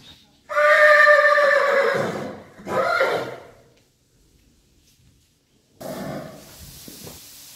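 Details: Friesian horses at feeding time: one long loud whinny with a harmonic-rich tone that falls and trembles for about one and a half seconds, a shorter second neigh, then silence and rustling, thudding noises.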